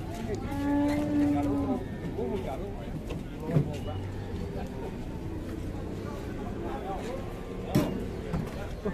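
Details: Cattle with a broken leg, kept at an Indonesian cattle farm, gives one short, steady, low moo of just over a second, while people talk sympathetically over it throughout.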